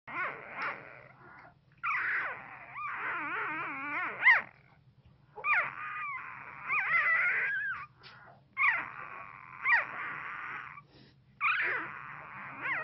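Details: One-week-old newborn pit bull puppies give high, wavering squeals and whimpers while asleep and having an intense dream.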